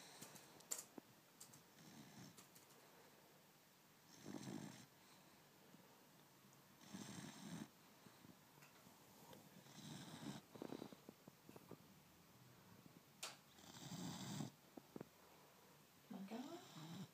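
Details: Three-month-old blue Cane Corso puppy named Izzy, asleep with eyes open, snoring: broad rasping breaths repeated every few seconds, each a brief noisy burst over a quiet indoor background.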